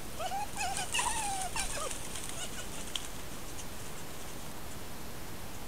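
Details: Two red foxes interacting near their dens, filmed by camera trap in countryside at Corte Franca, Cavarzere area (VE), Italy: several faint wavering, whining calls with harmonics in the first two seconds, then only steady background hiss.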